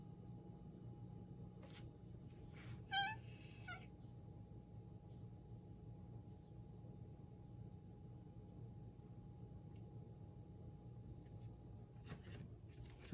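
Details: Hoarse, pleading meow from Toto, a clingy pet cat seemingly desperate to get a message across; one strained meow lasting about a second, then quiet room noise with a steady hum and a few soft clicks and knocks.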